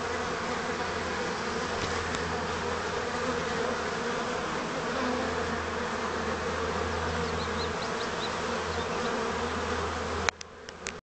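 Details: Swarm-like hum of honey bees, May 2010, after being accidentally spilled with honey and being cleaned; unbroken dense buzzing with faint high bird chirps, then a sharp clunk and quieter ending.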